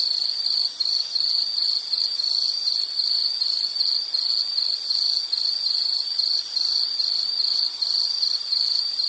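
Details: Soothing nature ambience of an insect calling: a shrill, rhythmic pulsed trill at one steady pitch, with brief slight dips in loudness, against a soft background hiss.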